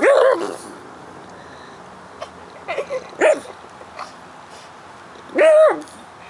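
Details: A pug worried about a bug intruding in its yard gives three separate short yelping barks, at the start, after about three seconds and near the end. Soft huffs and rustles sound between them.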